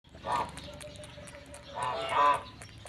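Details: In Laos, while another monkey pretends to eat, a monkey gives two loud, harsh, nasal calls, the second longer and stronger.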